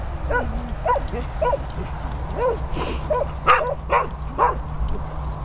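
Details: Springer Spaniels in rescue kennels give short barks spaced roughly every half second, with a brief falling whine at the start and a metallic clank midway, over a steady low kennel hum.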